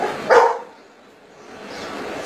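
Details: A Golden Retriever barking out answers to maths questions: one short, sharp bark, followed by quiet room noise.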